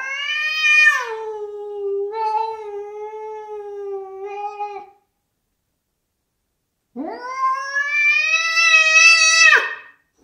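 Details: Indoor house cat caterwauling in hostility at a neighbour cat sitting on the window ledge outside: two long, loud, harmonic wails, the first sliding down then held for about four seconds, the second rising and swelling after a short silence.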